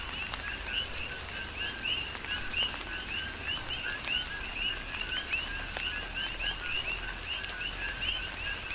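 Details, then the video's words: Chorus of coqui frogs on Hawaii's Big Island during tropical rain, many overlapping high upward-swept chirps repeating several times per second, set against constant raindrop patter and wet background hiss. "Tropical Rain & Coqui"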